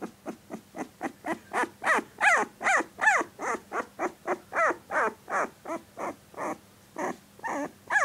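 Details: Sixteen-day-old puppy producing fainter, rapid little yelps and whimpers, about three per second. Each note bends upward and falls away, steady and unbroken over a low hum.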